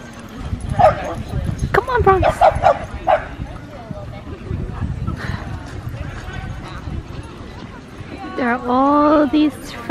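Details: French Bulldog named Bronx, upset with his owner, near several other Frenchies: a few short sharp barks in the first seconds, then a rising, whiny yelp toward the end, over steady people talking.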